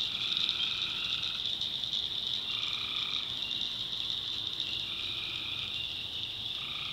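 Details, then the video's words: Night chorus of tree frogs in North Carolina backwoods swamp; steady shrill high drone with sustained two-pitched calls overlapping, one fading out and another starting after a brief gap. "Relaxing Swamp Sounds at Night - Frog Heaven - Frogs"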